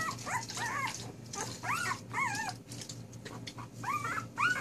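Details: Newborn puppies, four days old, give rapid wavering whines and squeals that swoop up and down, several in quick succession against a steady low hum.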